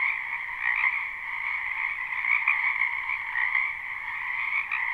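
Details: Croaking frogs in a backyard wetland during spring, live with no looping: a thick, steady mass of overlapping trilling calls holding constant, with occasional brighter chirps poking above the drone.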